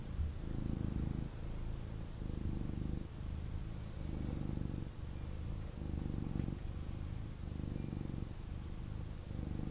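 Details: Male kitten purring intensely while held and cuddled by its owner indoors; a deep, rumbling low purr in rhythmic bursts roughly every second, alternating with slightly softer breaths, steady throughout with faint room hiss.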